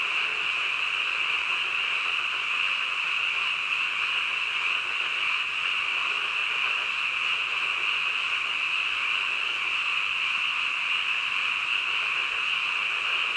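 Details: Frogs croaking late at night, their countless overlapping calls merging into a constant high-pitched buzzing trill of unchanging volume, with faint scattered lower notes beneath.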